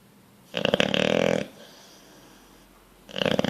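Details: Bulldog fast asleep, dreaming and twitching, snoring indoors: a loud rasping, buzzy snore lasting about a second, a quiet pause, then the next snore beginning.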